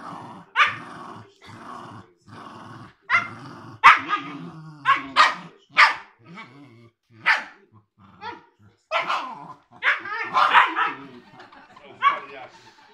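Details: Playful sparring between a three-month-old Siberian Husky pup and an eight-year-old Cairn Terrier, loud yappy barks coming in quick irregular bursts over continuous low growling, with a few faint voices.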